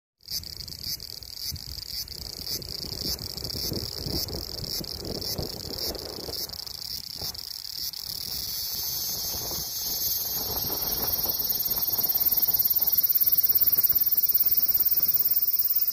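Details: Cicada song: a continuous high buzzing drone with a faint pulsing beat, steady throughout and growing louder and shriller in the final seconds, with low rumbling in the background.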